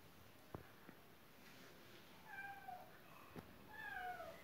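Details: A cat outside a closed window, wanting to come into the house, gives a couple of short, thin, wavering meows late on, after a few sharp knocks; quiet room hiss underneath.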